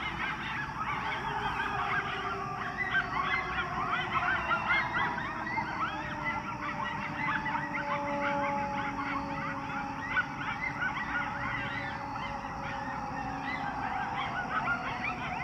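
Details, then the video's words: Coyotes in Chicago, their calls likened to hyenas: a dense, continuous chorus of overlapping high yips, cackles and wavering wails from several animals, with a steady siren-like tone running underneath throughout. "CHICAGO COYOTES OUT HERE SOUNDING LIKE HYENAS"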